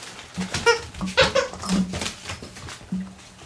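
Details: Bee, a sheepdog mother, plays indoors with her six-week-old pups; short whines and yelps with stacked harmonics come in quick uneven bursts, over low growly rumbles and a steady hum in the room.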